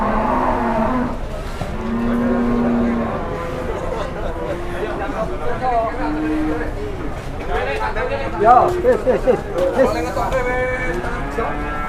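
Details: Two newly arrived jumbo cattle in Indonesia, led out of their pen for the first time, one called Metal and hard to handle; low drawn-out moos rise out of steady outdoor noise while men talk throughout.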